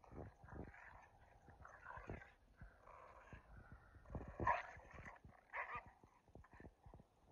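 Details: Two dogs, a Keeshond and a Boston Terrier, playing tug and jousting; throaty growls and grunting bursts come in uneven waves, mixed with snorting breaths and scuffling thumps.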